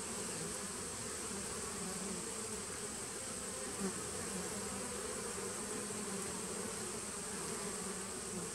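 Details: Many honey bees from a 2017 nuc colony, recorded 19 September 2018, make an even, unbroken buzzing hum with a single momentary louder buzz partway through.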